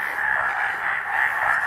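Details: In Amchang Wildlife Sanctuary, Assam, breeding-season male frogs croak together to attract females, merging into a continuous, deafening buzzing wall of sound that swells and dips but never pauses.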